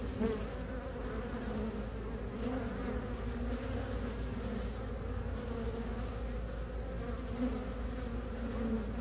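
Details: Several honey bee foragers returning to the hive in Ohio during mid-March 2023, temperatures in the 50s, bringing nectar and maple pollen; a dense unbroken low hum with occasional brief rises as bees pass near.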